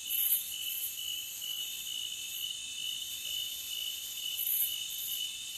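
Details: Forest cricket sound: a dense, steady high-pitched insect trill with shimmering upper tones and small pulses of brightness, no other animals or voices.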